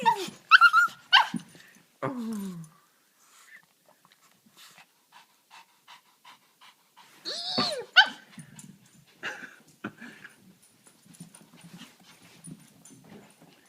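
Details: Excited female dog whining and trembling with joy on seeing her owner, indoors in a small room; high wavering whines and yelps in bursts, with sliding pitched cries around the eighth second, then softer scattered whimpers and shuffling.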